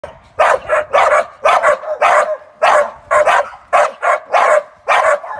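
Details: American Staffordshire Terrier barking in a fast series of sharp, loud barks, about eleven in five seconds, steady and close, with short gaps between them.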